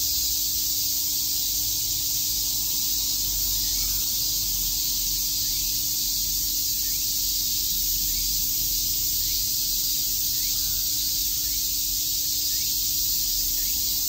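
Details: Chorus of cicadas chirping on a summer day in Shakujii Park, Tokyo: a dense, unbroken high-pitched hiss-like drone holding steady throughout, with a faint low hum underneath.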